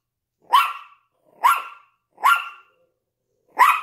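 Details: Yorkshire Terrier with a Lhasa Apso, barking in the window: four crisp, high yaps in under four seconds, evenly spaced at first, then a short gap before the final bark.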